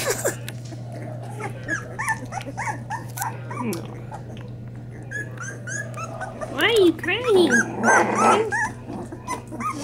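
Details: Newborn Springer Spaniel puppies from a first litter, feeding: high thin whimpers and squeaks rising and falling in short repeated bursts, with a woman talking softly to them, a steady low hum and some music.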